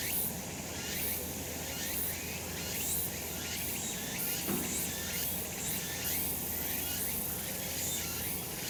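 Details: A summer mountain chorus of cicadas in the sun, a continuous bright hiss of high buzzing that swells in soft irregular pulses, over a faint low rumble and one brief lower sweep midway.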